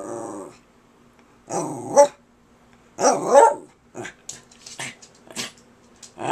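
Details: Pet dog Kirby, insistently talking to his owner, lets out two grumbling, wavering vocal bursts, then a string of short sharp yips and huffs; a faint steady hum runs underneath.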